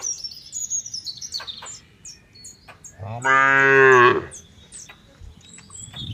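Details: Cow on a cattle farm within an oil palm plantation, Bekri, Central Lampung, Indonesia, giving one loud rich moo lasting about a second, rising slightly at the end, amid busy bird chirps and twitters.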